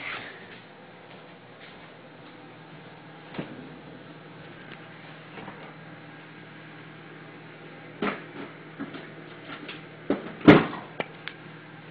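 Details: Quiet indoor room tone broken by scattered knocks, taps and one sharp clattering bang near the end, with no dog bark or other animal sound.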